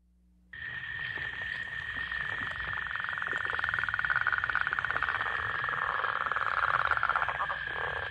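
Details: A Michigan northern leopard frog gives a deep, rattling snore of rapid pulses with a little chuckling "chuck chuck chuck" at the end, with other frogs calling in the background.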